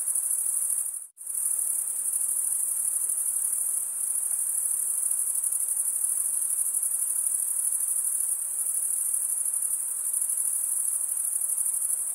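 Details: Crickets chirping by stridulation: a steady, very high, shrill trill that runs almost unbroken. It cuts out for a moment near the start and then resumes at the same level, with no other sounds.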